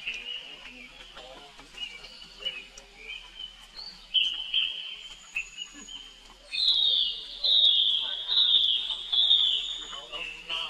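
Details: A young monkey brother calls for help while his sister Rainbow hurries away. Short, high whines come first, then long, loud, quavering screams rise and are held for several seconds.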